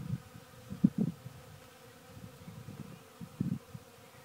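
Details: Western honey bees (Apis mellifera) working a sawdust pile buzz low and steady in short bursts as they fly close by and away.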